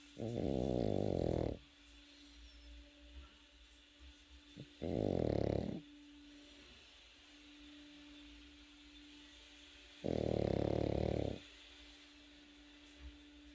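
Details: Three drawn-out, buzzing snores from a sleeping Pekingese puppy, spaced roughly four to five seconds apart, each a low rattling breath about a second long, with a quiet room hum between them.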